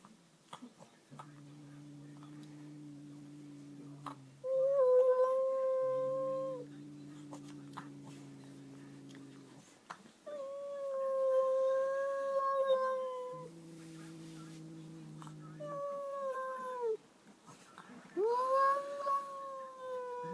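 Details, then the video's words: Domestic cat vocalizing indoors after seeing a newly arrived cat: a low steady droning moan alternating with higher wavering wails, each part lasting about two to three seconds, with a faint voice between calls. "Cat making weird noise"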